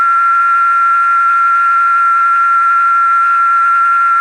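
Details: Chicharra or cigarra singing, a cicada called Chikilichi in Náhuatl and believed by some to foretell rain, with only males singing: an unwavering, high, pure whine held without pause, rich in stacked overtones.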